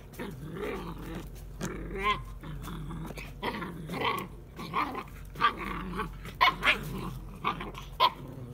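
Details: Seven-week-old Kuvasz, Kangal and Komondor cross puppies playing after lunch: repeated rough growls and snarls rising into short yelping barks, bursts every second or so, with a steady low hum underneath.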